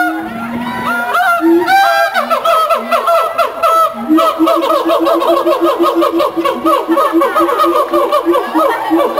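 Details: Siamang pair at the Columbus Zoo, a mated couple duetting to hold territory and bond: low hoots and whoops speed up into a fast, rhythmic run of sharp barking notes that keeps going to the end.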